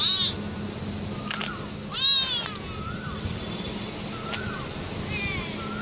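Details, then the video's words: Several cats meowing, with short falling mews, some high-pitched and kitten-like, scattered over steady background hum. "cats of every species and incessant meowing"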